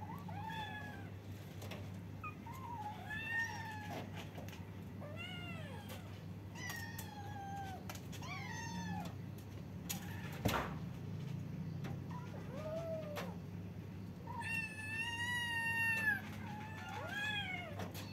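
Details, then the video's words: Several kittens meowing at once, talking over each other with a stream of short, high, bent meows, some rising and falling, overlapping irregularly above a constant low hum, with one sharp knock midway. "kittens meowing they talking at the same time, cute kittens meow-meow, cats sound"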